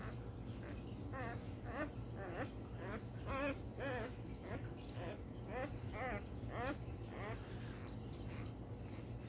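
A Basset Hound gives short, wavering, yelping barks, repeated about twice a second.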